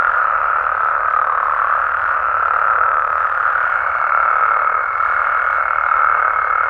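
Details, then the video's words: Mexican frogs and toads at night form a thick, steady trilling chorus of many voices at once, level throughout, with a thin high tone joining in the second half. "Mexican Frogs & Toads Sounds"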